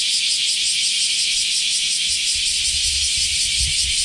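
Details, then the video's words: Japanese summer cicadas, semi, after the rainy season: a high, pulsing, rattling buzz that beats rapidly and evenly, with soft low thumps near the end. "sound of summer in japan semi insects"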